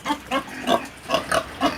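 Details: A pig snoring: rough, snuffling nasal grunts in a steady run, each brief and throaty, repeating roughly three times a second with only quiet breathing between them.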